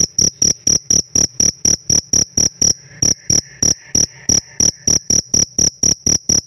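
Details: Chirping pet cricket gives a rhythmic series of sharp, high-pitched ringing pulses at a steady pace. A faint, softer buzzing hum rises briefly in the middle of the sequence.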